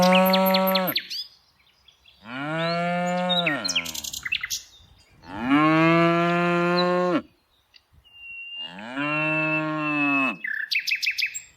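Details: Tame cows being herded in the afternoon give four long, deep moos, each drawn out with a steady tone that drops at the end, spaced by short pauses; small birds chirp between calls.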